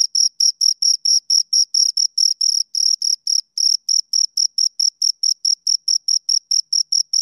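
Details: Two crickets keep up rhythmic high chirps; closely packed pulses early on, a short pause, then a faster, more separated series of shrill chirps continuing steadily to the end.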